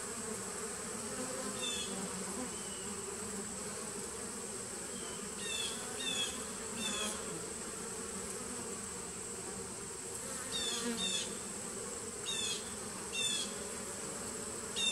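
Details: A 2017 nucleus hive of honey bees, recorded 19 September 2018: continuous low buzzing hum with repeated short rising chirps, several in clusters of two or three, over a steady high hiss.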